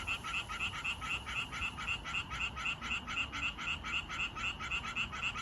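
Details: Tree frog males croaking to find females, a steady fast pulse of bright, clipped notes repeated about four times a second over faint low background noise.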